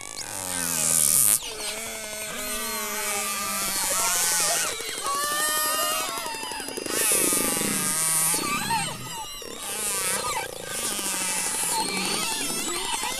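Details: Killer whales in the Gulf of St. Lawrence, North-west Atlantic, give rising and falling harmonic squealing calls mixed with bursts of rapid clicks; clicks for orientation, whistles for communicating, each group having its own dialect.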